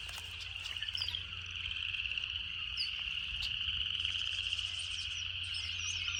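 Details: A dense cicada chorus from a natural setting: one unbroken, piercing, pulsing whine rises slightly in strength, dotted with short high chirps from birds and a soft low hum underneath.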